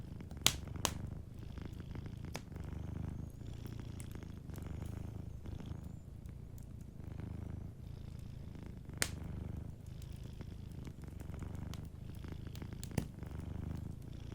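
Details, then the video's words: Sleeping cat purring near a fireplace; a long, even low rumble rising and falling with each breath, while occasional sharp crackles and pops of the fire break through. "Warm Fireplace Ambience with a Sleeping Cat 🐱💤Fireplace & Soft Purring"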